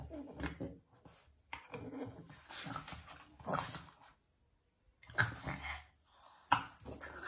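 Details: Pair of Boston Terriers squabbling indoors for no reason, love/hate play-fight; rough snarls and growls come in separate bursts with a silent break midway, then sharp yelping snaps near the end.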